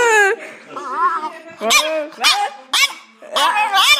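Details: Little French Bulldog talking back to a girl and repeating after her; wavering, moaning, howl-like tonal sounds rise and fall, alternating with the girl's voice in a playful back-and-forth.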